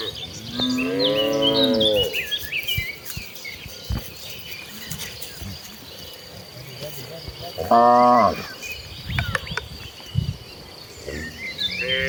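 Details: Tame village cattle in a herd walking to the rice-field pasture to graze, Indonesia; a long harmonic moo at the start, another loud moo near eight seconds, bird chirps and insect noise in the rural background.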